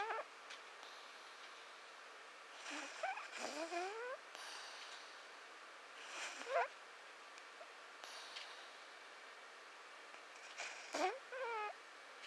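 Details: Mishu, a male pet cat, snoring while asleep indoors. Raspy breaths come about every four seconds, each a brief wheezy, buzzing snore with quiet pauses between.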